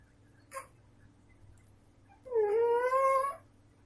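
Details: Sleeping female domestic cat snores indoors. A soft click comes first, then one loud, squeaky, whistling breath of about a second that rises gently. A faint low hum sits underneath.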